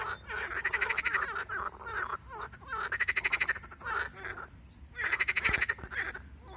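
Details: Three rattling croak bursts from a marsh frog, shown in connection with a grass snake attacking it, separated by lower chuckling, gurgled calls.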